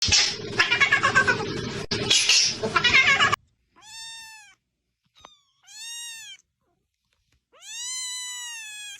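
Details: Cat noises: a harsh, noisy burst of clicking and rasping sounds for over three seconds, then three separate clear meows with stacked tones, each about a second long, rising then falling, with silence between.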